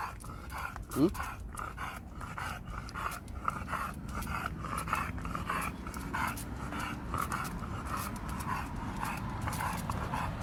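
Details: Pet dog named Khan, sulking just after arriving home from Gageodo island, panting steadily indoors: quick, rhythmic breathy puffs about three per second with one brief rising squeak near the start.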